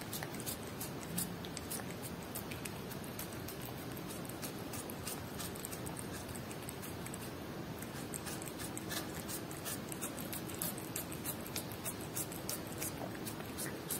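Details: Cat eating Whiskas salmon at close range: continuous soft lapping and chewing ticks repeat rapidly and fairly evenly, with occasional louder wet clicks. A faint steady hum lies underneath, and no voices or music are present.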